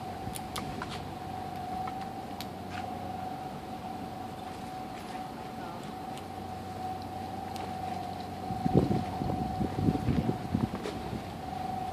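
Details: A steady mechanical whine hums over a low rumble, with a few sharp clicks and a louder burst of noise near the end, and no animal sounds.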